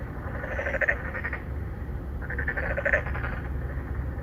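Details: Courting narrow-mouthed frogs at an apartment-complex pond in Incheon's Songdo, Korea, filmed on a Galaxy Note9. Two drawn-out, buzzy croaks, each under a second long and made of rapid pulses, sound about two seconds apart.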